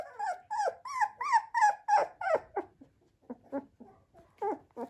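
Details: Male liver-coloured Flat-Coated Retriever puppy whimpering: a rapid run of high, wavering whines that rise and fall, about three per second, softening into shorter, lower yips.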